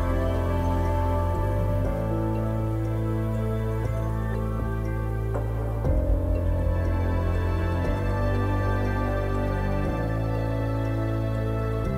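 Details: Soft, sustained new-age background music fills the recording with steady low chords and gentle changes every couple of seconds, and no animal voice is heard.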